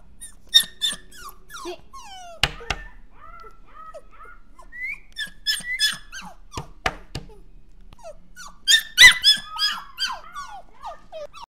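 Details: Dog giving sharp, high squeaks and short, falling whines in irregular bursts, mixed with dull knocks and thuds in a small quiet room.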